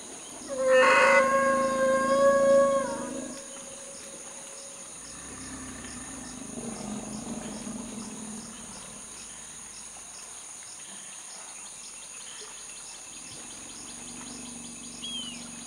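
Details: Lost infant male elephant calf giving a loud, high-pitched scream: a steady harmonic wail held for about two and a half seconds, then quiet with soft low rumbles and faint background hiss.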